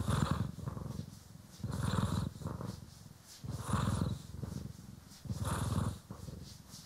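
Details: Grooming session with pet cat Poki or Kiwi being brushed, captured in stereo; a deep, even purr repeating in phrases about every one and a half seconds, soft swishing brush noise between.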